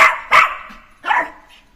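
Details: Neo, a short-haired Jack Russell Terrier puppy let loose to play, gives two sharp, raspy barks about three-quarters of a second apart, each fading quickly into a quiet room.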